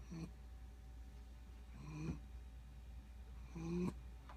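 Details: A sleeping one-year-old female Corgi snores in low, rasping bursts that come roughly every two seconds.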